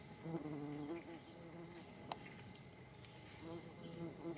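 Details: Paper wasps in flight: a low droning buzz that swells and fades as the insects pass. A faint steady hum sits in the background, with a brief click near the middle.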